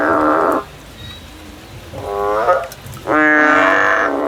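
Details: Field recording of a male frog: a bleating note, then a softer, wavering one after a pause, followed by a loud, strongly harmonic bleat near the end.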